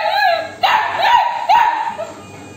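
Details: Hungry Labrador Retriever puppy, female, demanding food from her owner near the kitchen: a long whine followed by two sharp, rising-then-falling yelps about a second apart, loud and harmonic.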